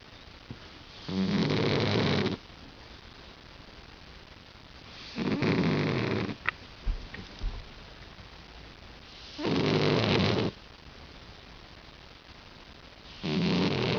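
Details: Sleeping house cat Hack snores like a person: four long, harsh, low rasping breaths, each about a second long and spaced roughly four seconds apart, with quiet pauses and a few small clicks between them.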